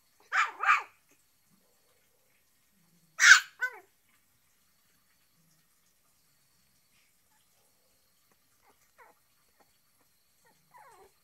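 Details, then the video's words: Shih Tzu barking: a quick double bark, then a louder bark with a short tail a few seconds later, and faint soft yips near the end with silence between. "shih tzu barking"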